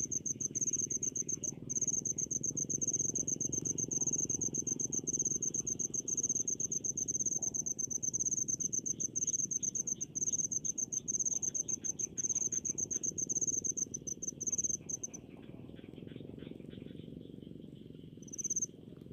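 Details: Countryside rice-field cricket, a rapid high chirp trill running steadily for about fifteen seconds before stopping, then one short final burst, over low ambient noise.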